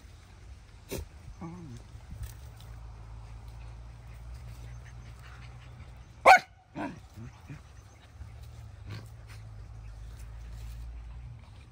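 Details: In the evening a dog lets out a loud single bark followed by a softer second yelp. Faint clicks and low rumbling noise fill the rest.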